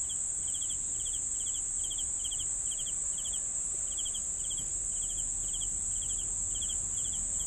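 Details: Steady cricket chirps, each a small cluster of pulses, repeated at an even pace beneath an unbroken high-pitched insect trill.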